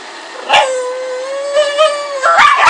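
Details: Bug, a Pug and Boston Terrier cross, at play: a sustained, steady, nasal whine held for almost two seconds, with brief scuffling noises at its start and end.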